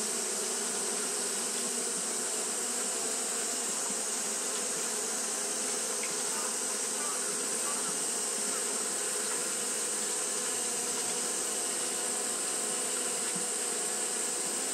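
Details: Hot-day fanning by Japanese honey bees gives a constant, thick buzzing hum with steady low tones and a faint airy hiss above, unchanging from start to finish.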